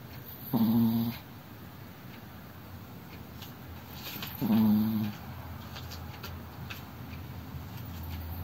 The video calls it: チワワのいびき chihuahua’s snoring